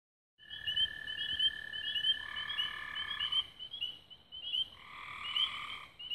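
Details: Frogs singing at dusk near Raven Rocks, Belmont County, Ohio, recorded 24 May 2016: a continuous high trilling chorus with overlapping chirps, joined by long steady lower trills lasting a second or more.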